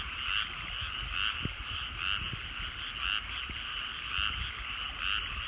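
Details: Rice-field frogs at sunset in the countryside, giving grating croaks roughly once per second, each a short two-toned burst, with a few faint clicks and low background hum.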